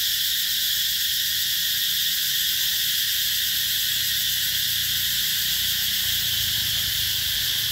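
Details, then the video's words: Cicadas calling in summer at the Mỹ Luôn eco-tourism site in the Mekong Delta, 2021: a dense, unbroken high shrill drone that holds steady throughout, with faint low rumble beneath. "tiếng ve gọi hè"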